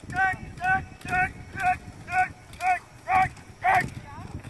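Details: Cane Corso named Carmine D'Oro from Legendary cane corso kennel, barking during PSA PDC protection work; harmonic barks repeat steadily about twice per second over low background rumble.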